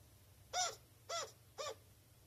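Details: Pet chinchilla calling indoors when anxious or dissatisfied: three short, harsh, harmonic barking calls, spaced about half a second apart, against a quiet room.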